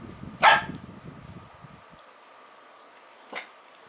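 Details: Bun, a dog long rumoured never to bark or to have had its vocal cords cut, lets out one sharp loud bark, then a much fainter second bark about three seconds later, with soft rustling before.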